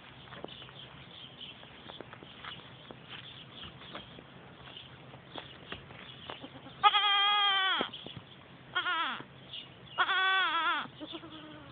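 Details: Three-month-old pygmy goats going crazy: after several seconds of faint shuffling, three loud harmonic bleats, wavering and slightly falling, each about a second long, come at roughly 7, 9 and 10.5 seconds.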